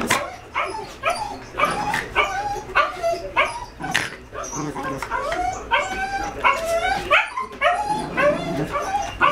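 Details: Male and female Jack Russell Terrier puppies, five months old, playing roughly: continuous high yips and short barks at a fast, irregular rhythm, with occasional clicks and faint human voice in the background.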